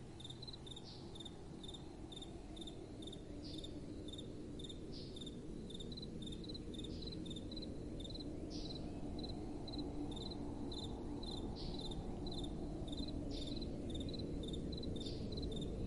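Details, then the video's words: Crickets at night with soft wind, a long regular train of thin, high chirps, around 158 per minute, occasional faint rising whistles, and a broad low wind hiss swelling gently through the middle. "Relaxing Night Time Sounds | Crickets & Soft Wind"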